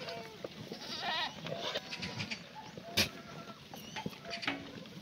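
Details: Herd of black goats ranging freely at a mountainside farm in Sangdong-myeon, Gimhae, Korea, on a sunny Monday morning in June 2019. Short bleats, one with a vibrato, overlap amid busy background noise and a sharp knock.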